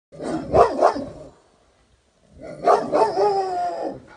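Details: Rottweilers barking at a weather vane give two bursts of deep, rough barking separated by a short pause.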